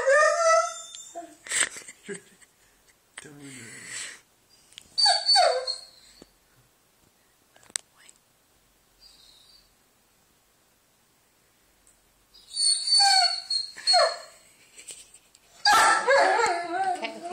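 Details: Weimaraner (Canis lupus familiaris), whine: demanding to be let off his bed.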